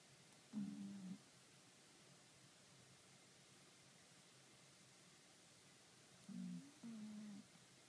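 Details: Kuro the cat snoring in sleep, 28 April 2013: one low whining breath near the start, then two more close together about six seconds later, each a steady low hum over quiet background.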